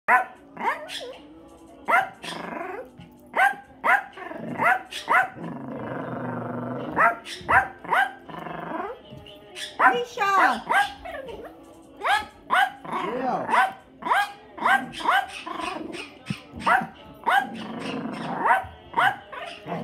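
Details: Pit bull mix puppy playing with and bothering a cat: repeated short, sharp barks and yelps with rough growls between them, several per second at times, alongside background music and a person talking.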